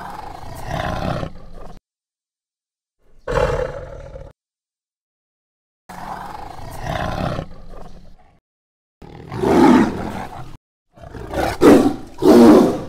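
A tiger gives a series of harsh, rasping roars, each lasting a second or two, separated by pauses.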